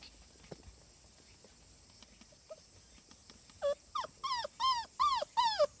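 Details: Young Cardigan Welsh Corgi at a veterinary clinic, about to get a vaccination on 16 August 2020. Quiet at first, then about six loud, drawn-out whines, each rising and falling, come in quick succession near the end.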